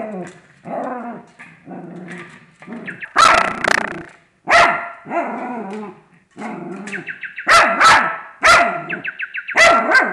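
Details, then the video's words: Frustrated pet dog reacting to a fake bird: low grumbling growls and whines give way to loud sharp barks in bursts, while the toy bird's chirping tones sound between them. "'Bird-Bowling' A Dog's Frustration"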